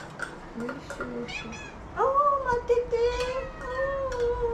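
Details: Former rescue cats demanding their food: a few brief chirps and voice sounds, then one long, loud meow that jumps up, slides down and is held steady for over two seconds.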